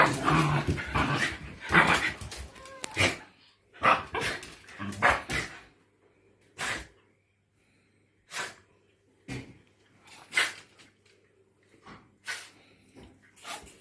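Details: During a play fight between two white Shiba Inus, Mochi the naughty one and calm Kome, harsh growling bursts come thick at first, then thin out into short, scattered yips and snorts with quiet between them.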